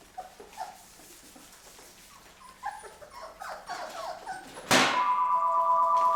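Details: Mocha's Labrador retriever puppies at 23 days old, indoors as they start on puppy food; thin, high whining whimpers repeat over several seconds, then a loud telephone starts ringing and drowns them out.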